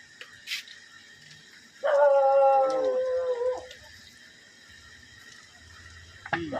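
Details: Dog trapped for three days, giving a single drawn-out whining howl lasting about two seconds, steady then falling slightly at the end, with background music and a faint voice.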